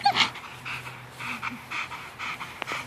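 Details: Belgian Malinois during bite-suit training at a dog training facility, a woman wearing the suit taking a bite; breathy panting bursts repeat roughly every half second over a faint steady hum, with a brief shout at the start.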